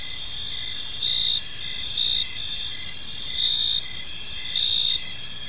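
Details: Evening park crickets: continuous high-pitched trilling chorus with louder chirp bursts arriving about once a second, several overlapping callers, soft low rumble beneath.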